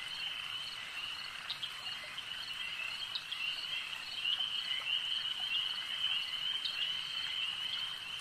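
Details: Frogs at a lake in full chorus, a continuous high trill that swells louder halfway through, with scattered sharp clicks and short accents roughly twice a second.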